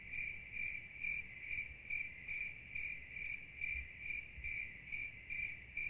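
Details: Crickets chirping steadily: a constant high ringing note topped by evenly spaced bright pulses, a little over two per second, with quiet low background noise.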